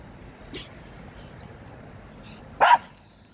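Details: A Shih Tzu gives two short barks: a faint one early on and a louder, sharper one about two seconds later. Between them there is only a quiet, steady background hum.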